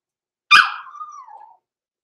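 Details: Overnight in the puppy pen, a six-week-old blenheim Cavalier King Charles Spaniel pup born November 14, 2022 gives one sharp loud yelp that trails into a long whine drifting slowly downward, then falls silent.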